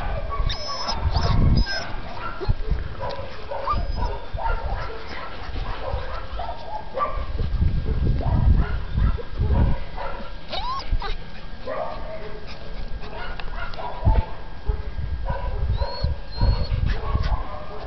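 A Golden Retriever gives short, broken whines and yips amid heavy low rumbling and handling noise.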